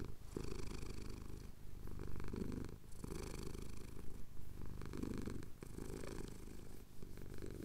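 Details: Cotswold sunrise scene with a male cat purring during a chin scratch, captured on a Tascam DR-07X; deep throbbing purr that pulses with each breath, cycles about every one and a half seconds.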